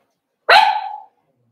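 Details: One loud, abrupt yelp from a seven-week-old Cavalier King Charles Spaniel puppy in an indoor pen, sliding downward and fading over roughly half a second, with silence on either side.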